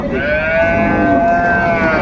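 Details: Dairy cows with calves for sale at Ambari livestock market, Dinajpur, on 24 May; a long, steady, drawn-out lowing tone with rich overtones, lasting about two seconds, under a background of market chatter.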